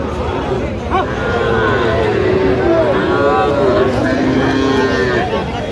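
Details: Small young bulls and heifers at a cattle market in Feni, 15 November, where farmers are buying; a drawn-out, low, harmonic moo wavers beneath steady male conversation and market chatter.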